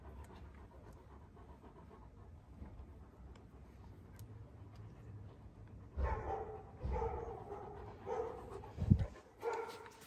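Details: One-year-old Kangal puppies in Alanya, Antalya, Türkiye, 21 September 2024; six quiet seconds of low rumble, then a run of resonant barks, several close together, ending with a thud and a final bark.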